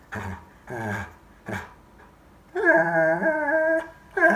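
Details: Vocal Bernese Mountain Dog, 11 months old, chatting with its family indoors: three short grumbling huffs, then a long, drawn-out, wavering whine full of harmonics, and a final rising yelp.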